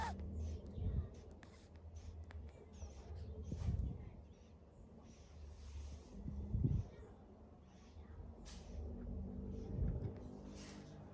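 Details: A sleeping monkey snoring: low, rasping breathy snores come roughly every three seconds over a quiet, faintly noisy background.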